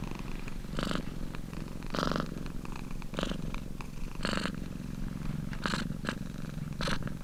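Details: Close, even purring from a domestic cat, a low vibrating hum with about six breathy swells at slightly irregular intervals over seven seconds and nothing else audible.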